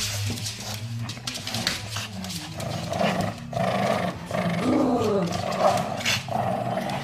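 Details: Playful growling from pet Shih Tzus Kaisia and Maggie, Kaisia eager to play with a toy crocodile: low, throaty grumbles with rising, whiny mid-pitched bursts around the middle and end, plus scuffling and handling noises.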